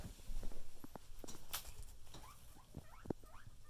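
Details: Pet guinea pigs in a group, brief rising squeaks and chirps scattered among rustling and thumps, over a steady low hum.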